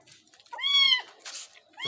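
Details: A cat being shampooed lets out a single clear, drawn-out meow. A hiss of water follows, and the start of another cry cuts in at the end.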